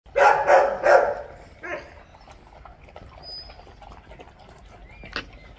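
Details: Doberman puppies at feeding time give three quick, loud, rough barks in the first second, then a single softer bark, followed by quiet room noise and a faint high squeak near the end.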